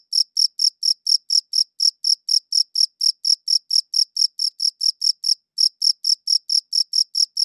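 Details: Cricket chirping, captured with a good audio recorder: a long train of bright, high-pitched chirps at a quick, regular pace of about four per second, one short break near the end, no background noise.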